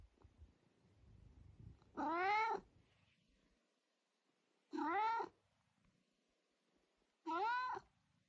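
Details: Talkative house cat that won't stop chattering: three separate wailing meows spaced roughly two and a half to three seconds apart, each bending up then down, in an otherwise quiet room.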